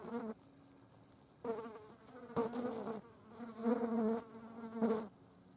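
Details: Green bottle flies feeding on a dead mouse; short buzzing bursts with a low hum and bright overtones, four separate bursts of under a second each, separated by quiet gaps.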